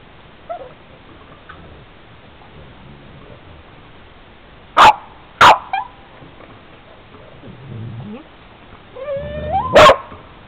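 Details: Boston terrier attacking a van, with ice involved: two sharp barks close together near the middle, then a rising whine and a loud bark at the end, with quiet stretches and faint rustling between.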